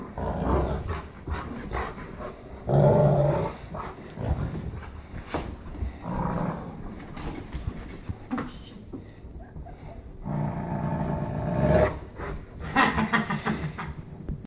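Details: Playful tug-of-war between Cane Corsos Hank and Loretta in Kansas City: low growls come in several bursts, loudest early and near the end, separated by scuffling and quieter pauses.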